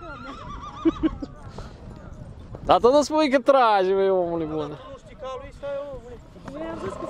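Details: Stallion at a pulling contest in Sucevița, Romania, 2023: a loud descending whinny with quavering harmonics near the middle, amid men talking, hoof clatter and crowd noise.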